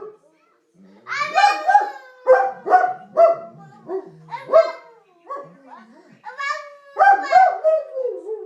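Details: Dog named Watson howling indoors together with a baby boy; wavering, rising and falling howls in bursts of several notes, with the baby's voice mixed in and short pauses between phrases.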